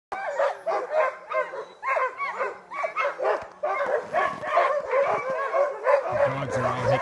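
A pack of sled dogs barks and yips all at once in a dense, excited chorus.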